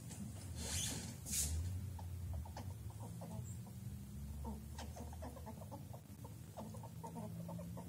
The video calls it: Squirrel's Sound; suara squirrel - dapatkah kau memahami artinya?